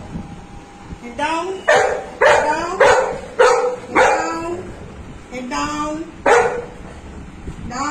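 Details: Golden Retriever named Anna, a family pet, vocalizing around a dal, rice and fish lunch: a rapid run of about seven harmonic woofs and barks, some rising in pitch, about one per second, over low household background.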